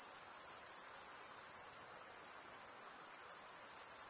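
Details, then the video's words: Males crickets chirping by running one wing over the serrated vein of the other give a steady, very high, rapidly pulsing trill that barely varies in loudness, with no other sounds present. "Most relaxing cricket sound"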